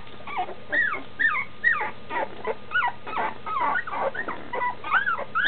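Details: Standard schnauzer pups at nearly two weeks, whining for their mother just beyond the whelping box; a series of short, arched squeals and whimpers roughly every half second, several voices mixed.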